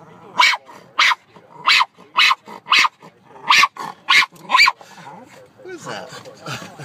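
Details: Dog barking at the birds: a steady string of about nine sharp, clipped barks roughly every half second, then a person's speaking voice at the end.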